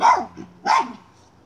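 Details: Miniature schnauzer hunting a chipmunk: two high, sharp barks roughly 0.7 seconds apart, each quickly falling away, with faint low rumbling between them.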